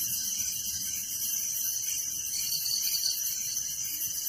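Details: Village crickets chirping at night: a steady, shrill wall of rapid pulsed trills at several high pitches, continuous and even in loudness, with no other clear sound.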